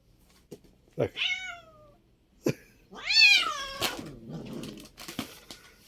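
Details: Domestic cat named Çaki, indoors, giving two falling harmonic meows, the second longer and louder, with sharp clicks and taps between them and faint rustling afterward.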